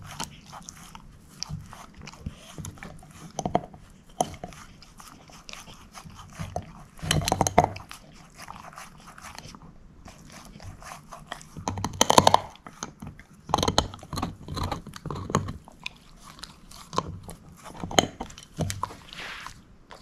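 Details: Female shepherd mix named Moose gnawing a bone in a small room: quiet stretches broken by loud bursts of crunching around the middle and near the end, with irregular clicks of teeth on bone.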